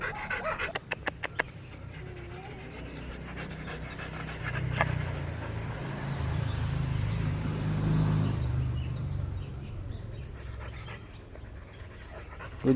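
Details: Labrador Retriever out on a walk, panting fast at about four breathy huffs per second, steady and rough over a low rumble; sharp clicks at the start and faint high chirps of birds now and then.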